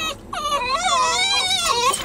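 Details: A Basenji whining with excitement before a walk at the park: one continuous high, quavering, rising and falling whine lasting about two seconds, clear above quiet background.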